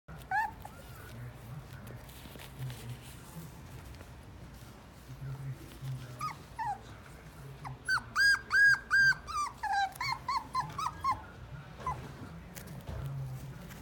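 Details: Dog at a pet shop, indoors, giving a run of high, thin whimpering yelps, scattered at first, then a rapid cluster of about a dozen short whines, with faint low room noise.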